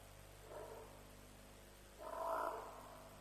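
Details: African buffalo calling near a lions' kill at Djuma, roughly 3 a.m., 07/03/07. A faint brief moan comes first, then a louder harmonic bleat of about a second, against a steady background hum.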